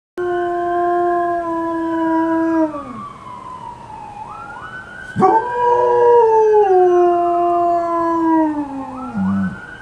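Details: A 12-month-old male German Shepherd howls in long, drawn-out tones that slide downward, answering a police siren.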